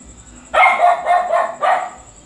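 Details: Dog barks in a quick run: a long wavering bark broken into several pulses, followed by one more short bark, with a faint constant high tone behind.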